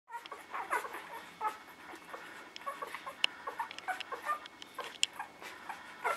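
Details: Newborn puppies in a litter whimpering: many short, high squeaky yelps overlapping at an uneven pace, with a faint steady hum underneath.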